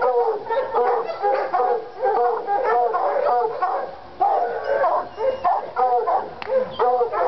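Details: Lady and Cooper, Treeing Walker Coonhounds in North Carolina, fired up on a coon skin; a dense chorus of bawling barks and drawn howls, bursts coming rapidly with a brief dip midway before resuming.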